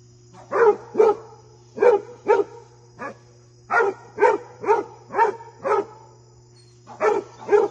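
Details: Fred the Basset Hound barks repeatedly at his visiting deer friend, a dozen resonant barks in uneven bursts, roughly two per second, over a faint constant hum.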